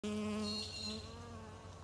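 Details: Australian native stingless bee, kept in a hive, buzzing in a steady low hum rich in overtones, loudest in the first half second and then fading slightly while holding an even pitch.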